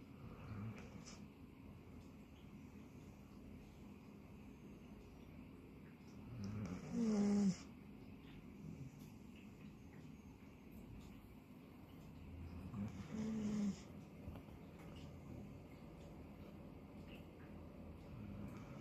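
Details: Labradoodle dog in deep sleep, snoring: low rumbling breaths rising twice, around seven and thirteen seconds, over a steady low hum.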